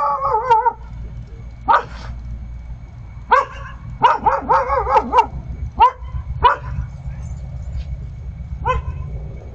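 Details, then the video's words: A lone Vizsla puppy keeps an eye out and gives high, yelpy barks with a wavering tone. They come singly and in quick pairs at irregular gaps over about ten seconds, with a faint low rumble behind. "solo barking"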